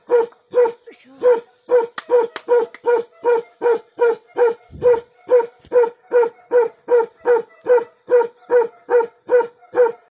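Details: Bakarwal guard dog barking continuously: a fast, regular series of deep, resonant barks, about two and a half per second, with a brief thump partway through.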